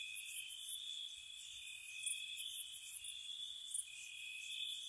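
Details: Several crickets calling on a spring night by a cottage: steady piercing trills overlap while quick, very high chirp bursts pop in and out, forming a dense insect chorus.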